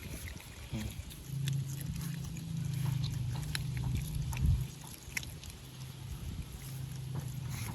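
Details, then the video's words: Otter making a low, steady humming drone lasting several seconds, dipping and resuming, with scattered soft clicks and rustles around it. "Why Do Otters Make Weird Noises?"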